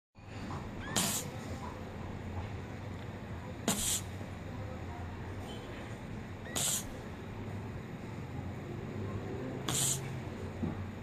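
A Shih Tzu snores with soft, hissing snorts that repeat about every three seconds in a steady breathing rhythm. A low hum sits underneath throughout.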